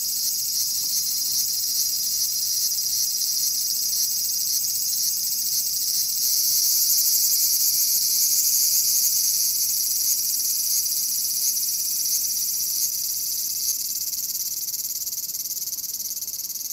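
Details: Bear cicada, Cryptotympana facialis, giving a continuous shrill, high-pitched buzzing drone that holds steady for the whole stretch and swells slightly in the middle, with no other sounds.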